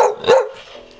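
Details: A 6-month-old, 40-pound male Bull Terrier, trained to bark on the command "get em," gives two quick, gruff barks while a person urges it on.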